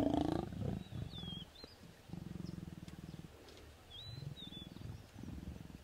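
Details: Wild lion pair mating in Naboisho Conservancy, Maasai Mara: a loud opening snarl followed by repeated low rattling growls in blocks of about a second, with faint birds whistling overhead.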